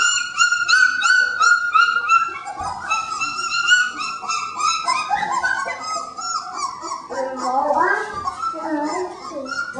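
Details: Three-week-old puppies in an expanded pen, giving a chorus of high, repeated whining cries that turn into jumbled, wavering squeals and yelps, with faint human voices.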